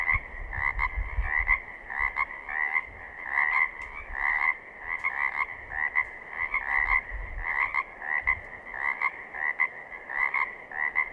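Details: Pacific chorus frogs in southern Oregon call in chorus, giving raspy two-part ribbits that are repeated rapidly and overlap.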